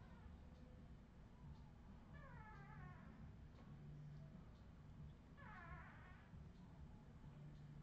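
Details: Australian Terrier puppies, filmed in 2018, give two wavering, drawn-out whines with rich harmonics, one near two seconds and one near six, over a steady low hum.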